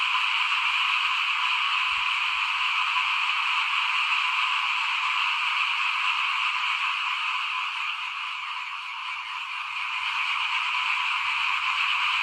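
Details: Frogs heard in front of a house while rice is sown, 2021, forming a thick, steady high chorus that briefly softens midway before swelling back to full strength.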